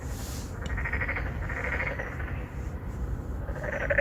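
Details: Courting narrow-mouthed frogs, three or four males seeking females in an apartment pond at Songdo, Incheon, Korea, captured with a Galaxy Note9; a short pulsed croak mid-clip and another starting at the end, beneath steady low-frequency rumble.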